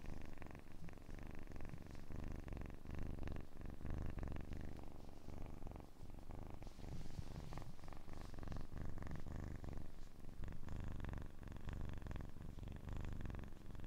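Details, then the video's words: A kitten purrs steadily, a low buzzing rumble of fast regular pulses, softly rising and falling in strength with a faint airy breath sound partway through. "АСМР 60 Минут Мурчания / ASMR Kitten Mouth Sounds / Purring"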